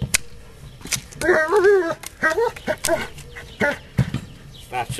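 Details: German Shepherd named Astor digging on the screen in a garden. A drawn-out, wavering whine is followed by shorter yelping barks, mixed with a person speaking and scraping sounds.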